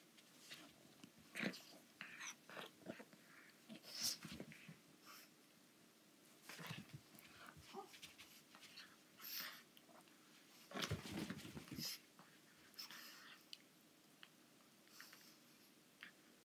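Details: Young female pug playing hard with an anglerfish toy in a small room, giving repeated nasal snorts, wheezes and heavy breathing in uneven clusters, with rustling and bumping of the toy throughout.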